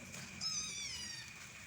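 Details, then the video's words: A kitten gives a single high, thin meow lasting under a second. It is strong at first and fades, with a steady electronic hum underneath. "Diserbu Meong Bocil"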